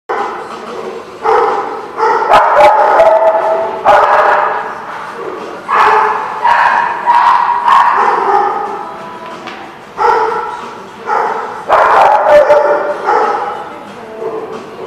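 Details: Dogs recorded on 21 March 2016: a busy stretch of loud, overlapping barks in bursts every second or so, with bright yips mixed in and occasional short pauses.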